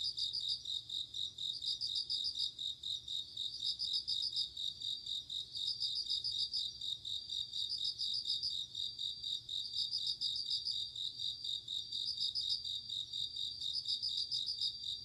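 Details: Bell cricket chirping at night in autumn, a high bell-like pulsed trill repeated in regular bursts every one to two seconds, set against a continuous high insect drone.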